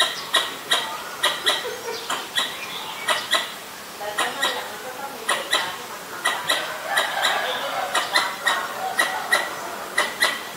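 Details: Ubon Ratchathani, Thailand, 1 January 2023: a Pallas's squirrel warning of danger, captured on a Nikon P1000. Bursts of sharp, dry chucks, some in quick pairs, with brief pauses and background birdsong.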